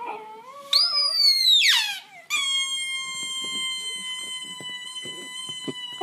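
An Italian Greyhound howls in a rising, wavering wail, then holds a long, steady, high tone.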